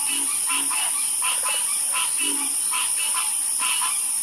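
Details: Several frogs croaking together, bright short calls alternating with occasional low, drawn-out croaks and a brief rattling burst, over steady high-pitched background noise.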